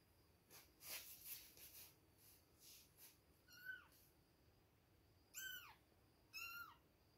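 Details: Two-week-old baby kittens at milk time give three thin, high meows with falling tails in the last half, after a stretch of soft scuffling and breathy noise.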